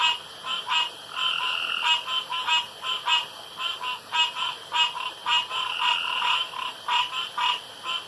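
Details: Frogs around a pond after dark, a dense chorus of overlapping short croaks repeated rapidly with no clear rhythm, bright and mid-pitched, several callers at once over a steady high background hum.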